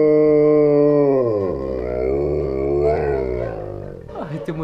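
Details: Alaskan Malamute dog howling along to a familiar melody: long, smooth, hoarse tones that waver and slide in pitch for about four seconds, then break into short, rougher yelps at the end.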